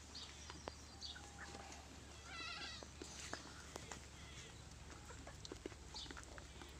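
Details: Pateri goats, two mother goats with four kids on a farm: a short harmonic bleat rises midway through, surrounded by scattered clicks, knocks and shuffling, with a steady low hum underneath.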